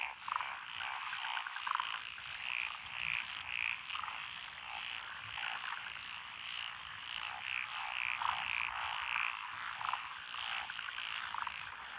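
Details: Chorus of several frog species in lotus paddies by a rural road, Echizen, Fukui Prefecture, Japan, June 2021: continuous rasping croaks under bright repeated piping notes in quick runs of three or four.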